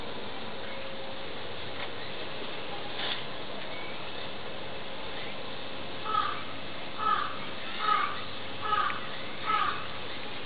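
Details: A four-month-old Pallas's cat (Otocolobus manul) kitten at a zoo gives a run of five short, sharp, yelping calls in quick succession.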